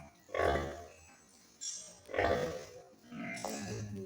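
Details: Farmed pigs grunting in three loud, throaty bursts about a second apart, each a coarse, hoarse huff over a low rumble, with music playing softly underneath.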